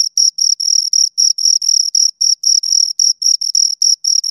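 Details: Close, loud chirps of two crickets: about four short high-pitched pulsed bursts per second, slightly uneven spacing, clean with nothing else audible.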